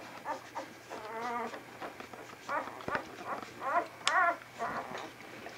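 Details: Young Vizsla pups from Batai's litter, 10 January 2013: a wavering, tremulous whine near one second, scattered soft squeaks, then a sharp rising yelp followed by quivering cries, over a low constant electrical hum.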